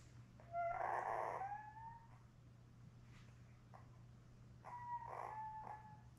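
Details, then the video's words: Labrador Retriever newborns, seven pups with their mother Belle, born May 24, 2021, on a June 4 puppy cam; a loud rising-then-falling whining cry lasts over a second, followed later by a second shorter wavering whine, with a low hum throughout. "Lab Puppies LIVE STREAM Puppy Cam"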